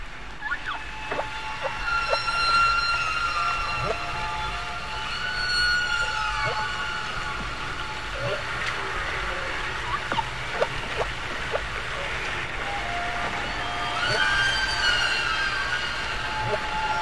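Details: Humpback whales singing underwater near Bermuda in spring, captured by hydrophone and echoing off wave undersurfaces and submarine canyons: high whistles, sliding upsweeps and downsweeps, and sharp pulses over a steady wash of sea noise.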